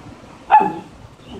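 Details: Ruffle, a pet Maltipoo, pleads to go outside while it rains. One sharp, short yelping whimper rises and falls quickly, then fades into quiet with faint low rumble; a person says "papa" just before.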